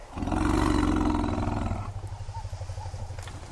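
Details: African elephant calf separated from its mother while the herd fed on mopane in dense forest gives a loud, deep, harsh roaring call of nearly two seconds, then low rumbling; the mother and much of the herd responded.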